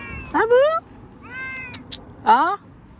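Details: Domestic cat giving two loud, rising, harmonic meows about two seconds apart, with a softer drawn-out mew between them, while a woman talks to it in Hindi.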